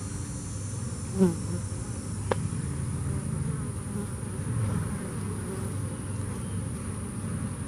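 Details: Low, continuous droning hum of bees after Hurricane Harvey, one brief louder buzzing pass near the start and a sharp tick soon after, otherwise an even swarm-like drone.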